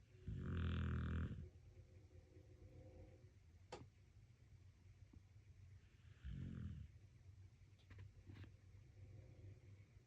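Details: Domestic dog asleep and relaxing, giving two deep, rumbling snores, a long one at the start and a shorter one about five seconds later, with a steady low hum and a few faint clicks in the quiet between.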